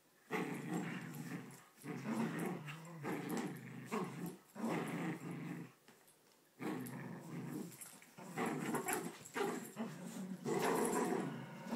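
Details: Two Poodles fighting over a blanket, growling in harsh, noisy bursts of one to two seconds with brief pauses between them.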